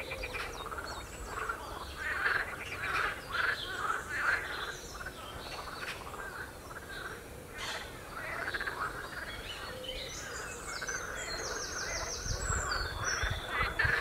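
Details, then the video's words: Frogs croaking on the Royal Military Canal near West Hythe: a dense, overlapping chorus of rattling, pulsed croaks that swells and fades, with high bird chirps and whistles above, clearest near the end. "Frogs croaking on Royal Military Canal"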